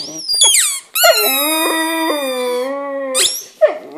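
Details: English Setter dog howling for the first time: a long, steady, harmonic-rich howl lasting over two seconds, bracketed by short high yelps and a sharp squeaky call at the end.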